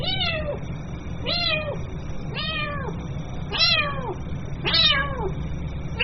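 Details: Kitten calling its mother: five high, arched meows, each falling at the end, spaced roughly a second apart over a steady low hum.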